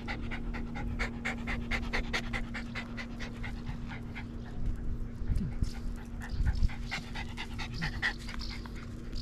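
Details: Pet dog, one of a household's dogs that dislike the neighbour's dog, recorded August 17, 2022; quick, steady breathy panting, short puffs several per second, with a faint low hum underneath throughout.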